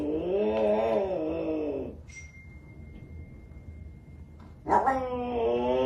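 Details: Cat making a long, steady, slightly wavering yowl, a quieter pause with a faint steady tone, then another loud harmonic wail starting abruptly near the end.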